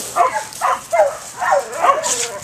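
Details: Five short, mid-pitched barks from a dog come roughly every half second, each a brief harmonic burst, with a faint hiss between them.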